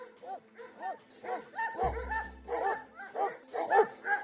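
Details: Kangal dogs guarding the flocks of nomadic herders give a rapid run of deep, arched barks, roughly two or three per second in an uneven rhythm, over a steady low musical drone.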